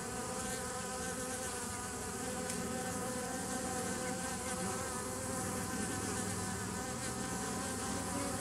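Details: Continuous bee buzzing from 27 September 2018, thick and even, with stacked low humming tones that waver slightly and a constant airy hiss above.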